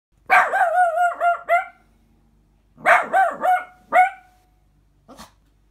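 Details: King Charles Spaniel puppy, an 11-month-old male, barking; two quick bursts of four or five high, yappy barks each, about two seconds apart, then a faint single yip, in an otherwise quiet room.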